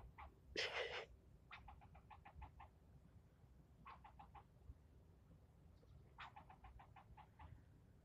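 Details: A squirrel yelling at the person filming during a scolding that lasted nearly ten minutes; short, clipped barks come in quick bursts of five to eight, broken by pauses, after one loud harsh burst near the start.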